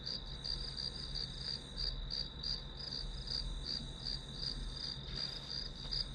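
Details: Grass insects as background white noise for a one-hour study session: a steady, high, rapidly pulsed chirping trill, about three pulses a second, over a constant low hum.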